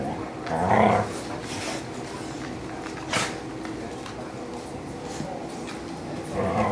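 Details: Three rescued dogs, Pointer Ben, Husky mix Charlie and Lab mix Georgie, wrestle lazily indoors on a blistering hot day; a short grumbling growl near the start, then quiet rustling and scuffling, with another low grumble at the end.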